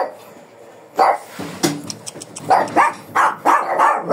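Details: Aggressive Shih Tzu resisting contact before being groomed, said to be ready to bite: after a quiet start with a few clicks, a burst of high, yappy barks repeats at an uneven pace through the second half.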